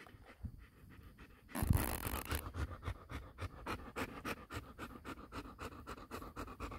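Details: Golden Retriever puppy, male, six weeks old, panting in an even run of short breathy puffs after a brief burst of rustling noise near the start.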